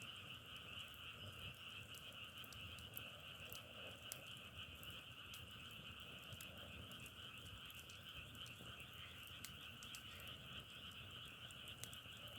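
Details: Frogs call in a thick, unbroken chorus with a steady double-banded trill. Frequent crisp clicking crackles, like burning firewood, scatter across the recording.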